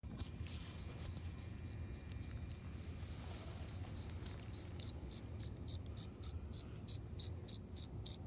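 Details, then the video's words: Cricket chirping: short, high, pulsed chirps repeated steadily about three and a half times per second, growing slightly louder over the stretch, against a quiet low background hum. "How a cricket makes a sound"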